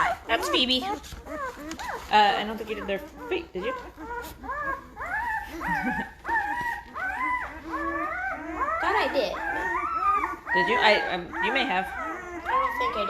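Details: Great Bernese puppies, a Great Pyrenees and Bernese Mountain Dog cross, five days old and noisy: many overlapping piercing squeals and drawn-out wavering whines fill the whole stretch, pitch sliding up and down.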